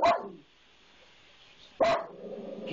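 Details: Pet dog barking at a maintenance man it dislikes, unusually fierce for this dog: two loud, harsh single barks almost two seconds apart, with a person urging it on between them.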